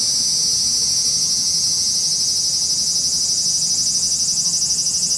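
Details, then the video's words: Cicadas in Japan: a loud, continuous, high-pitched buzzing drone that pulses rapidly and steadily, with a few faint lower tones beneath it. "cicada sound Japan,cicada buzzing sound,cicada noise,cicada swarm,cicada scream"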